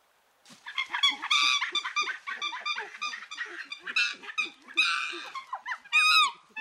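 A chimpanzee gives a rapid run of loud, shrill, harmonic calls and screams.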